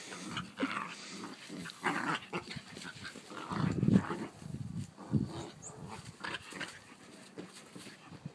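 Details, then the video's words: Dogs play-fighting, with rough growls and snarling bursts rising and falling throughout, strongest near the middle, plus scuffling noise. "Dog wrasslin'"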